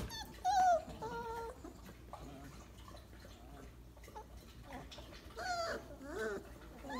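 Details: Weimaraner puppies, 28 days old, lying in a pile for a nap after breakfast; a few short high whimpers with rising and falling squeaky tones, separated by quieter stretches of soft rustling.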